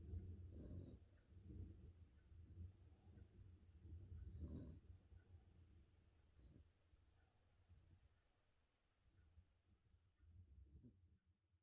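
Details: Spaniel dog snoring indoors: low, rough, rumbling breaths swelling in bursts near the start, around four and a half seconds and again near six and a half seconds, then softer, irregular wheezy snuffles fading toward the end.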